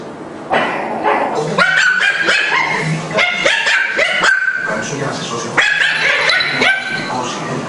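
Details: Two Maltese dogs, Dafne and Bianca, at play: bursts of short, sharp yips and thin whining tones come in quick clusters, over steady human talk throughout.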